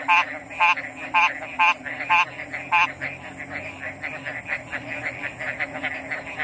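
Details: Six loud pulsed frog croaks come in quick succession, then the near caller stops and a softer, dense chorus of distant frogs continues over a steady high drone.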